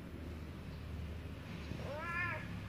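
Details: Domestic cat meowing while being fed, calling for food or attention; a single short rising-falling meow with rich harmonics near the end, over a steady low hum and indoor background.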